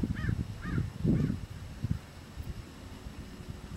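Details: Tule elk on Coyote Ridge, 22 June 2012, with a bull about 100–150 m away and calves present, give three short, high, squeaky mews in quick succession over low rumbling background noise.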